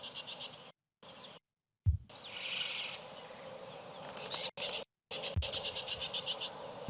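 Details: A tree squirrel near a waterhole gives a high, rapidly repeated chattering alarm call. Such calls warn of birds of prey, snakes, mongooses or larger predators like leopards.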